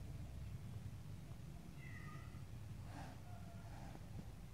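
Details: Stray and domestic kittens face to face, one giving a short, thin, falling meow, then a soft rustle and a fainter second mew, all against continuous low background rumble.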